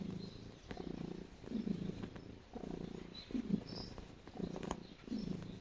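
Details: House cat kneading with a continuous low purr, pulsing on each inhale and exhale roughly every 1.8 seconds, plus faint scratching and tapping from its paws.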